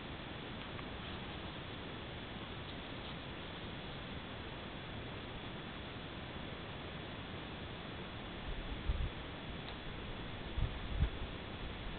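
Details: Steady quiet hiss runs throughout, broken only by a few soft low thumps near the end, with no clear animal voice.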